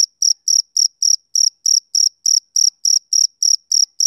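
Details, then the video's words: Shrill, evenly spaced chirps of a male cricket in summer evening quiet, about three to four pulses per second, each a buzzy high burst with a soft upper overtone. "Cricket Chirping Sound Effect"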